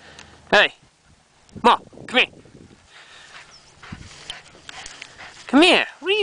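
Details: Mahlah, a female Rhodesian Ridgeback, vocalizes on a morning walk outdoors with a series of short, harmonic, rising-then-falling yowls and whines, about five in six seconds, some in quick pairs, with quiet footsteps between.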